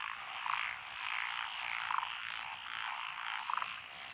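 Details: Frogs calling from lotus rice paddies beside a country road in Echizen, Fukui, Japan, on 12 June 2021; the named species are Japanese tree frog, black-spotted pond frog, wrinkled frog, Schlegel's green tree frog and forest green tree frog. A dense, steady croaking chorus is cut by short rattling pulses about every 1.5 seconds.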